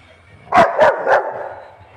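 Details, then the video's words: Pet Labrador dog barking to show his power: three loud, sharp barks in quick succession, each about a quarter second apart, in a quiet room. "Alexa bark and show his power"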